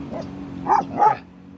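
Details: Growing Kangal puppies, soon to be rehomed, give two short, high yelping barks about a third of a second apart. A steady low hum runs underneath, and then the barking stops.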